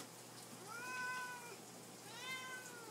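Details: Indoor pet cats meowing for food at supper time. Two clear, tonal meows follow each other: a longer, level one, then a shorter arched one. Light background hiss.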